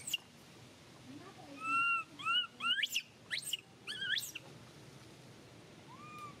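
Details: Young monkey Mila crying as mother Malika weans her off milk; a short burst of tonal whistled cries, some bending upward into steep squeals, then near silence with one faint final cry.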